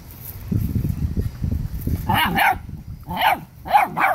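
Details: Dominant seven-week-old Rottweiler pup keeping its littermates from eating: a low pulsing growl that builds into a run of short, higher yapping barks with wavering pitch, close and loud.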